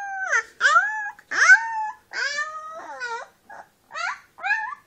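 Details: Brown female Leonberger puppy at her first steps, eyes just opened, making a run of short whining yelps that slide down in pitch, about one every second, indoors with no other sounds.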